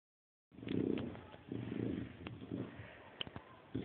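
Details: Chow Chow dog grunting like a pig: a few low, rough, snuffling bursts, each under half a second, with short sharp clicks between them.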